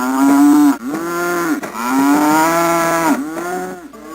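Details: Cow lowing in repeated sustained moos, steady and slightly arching in pitch, four calls running almost without pause.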